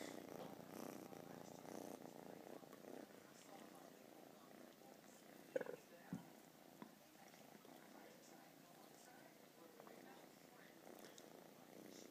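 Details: Two male domestic cats purring indoors, a soft low pulsed rumble that is steadiest and clearest in the first three seconds, then quieter, with a few faint clicks and rustles over it.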